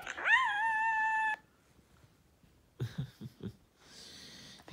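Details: Siberian Husky in the morning, letting out one rising, then level, whining howl of just over a second. Quiet shuffling and a human voice follow.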